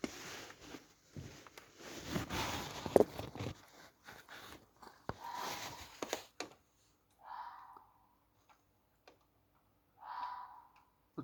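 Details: At 2:45 am on Friday 14 August 2020 in Millfield, Sunderland, near a metro footbridge, two hoarse, drawn-out screams ring out after a stretch of rustling; the recordist guesses a red fox.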